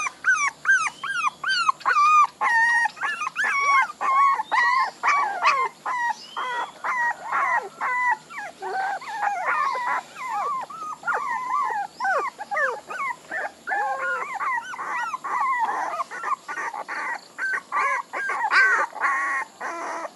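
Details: A litter of puppies cries continuously, a chorus of wavering, arching whines and small howls repeated over and over in dense overlapping bursts.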